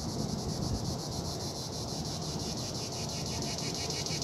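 A cicada's shrill, high buzzing song, pulsing about four times a second over low wind rumble.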